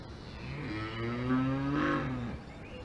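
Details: Cow on a farm in the Alps giving one long, low, resonant moo of about two seconds, holding a steady pitch with a slight rise before it fades, against a quiet rural background.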